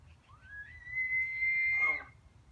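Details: An elk in a backyard at a ranch in Golden, Colorado, bugles: a high, clear whistle that climbs, holds steady, then breaks into a rough grunt.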